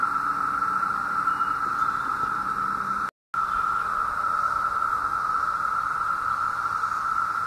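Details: Mass chorus of emerged 17-year cicadas, summer 2016, Southeastern Ohio: continuous, unbroken buzzing drone at a constant pitch, very loud, briefly cut out for a moment near the three-second mark.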